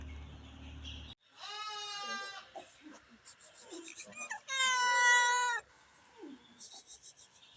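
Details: Cats at feeding time give two long, drawn-out meows, each about a second, rich and tonal, with softer short mewing and rustling sounds between them.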